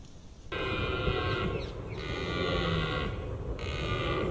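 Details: Red deer during the October rut in Britain, roaring, locally called bolving: a loud, sustained, rasping harmonic bellow with brief breaks, running almost continuously for about four seconds.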